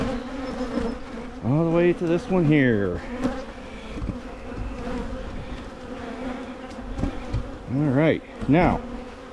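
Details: Carniolan honey bees at hives in Michigan while splits are made to curb swarming. A steady low hum underlies repeated swooping buzzes as individual bees fly close past and away, loudest around two and eight seconds.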